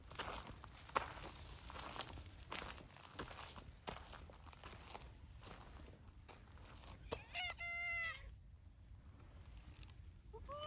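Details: Community cats of a brown tabby-and-white group, mostly abandoned strays cared for by a volunteer, at a noisy outdoor cat gathering; one long harmonic meow, rising then level, after shuffling footsteps, and a second meow beginning at the end.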